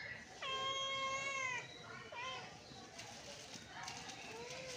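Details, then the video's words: Hungry British Shorthair kittens meowing for breakfast: one long, steady, high meow, then a shorter call and fainter meows further off, with background chatter. "Kitten meowing for breakfast || Hungry kittens"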